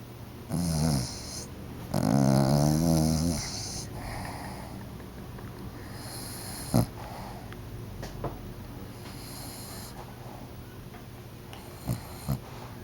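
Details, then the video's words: Oliver, an overweight pet dog, snoring loudly while asleep on a couch before being woken: rasping, harmonic-rich snores in bursts of one to two seconds with quieter breaths between, over a steady high electronic whine. "Oliver SNORING on the couch"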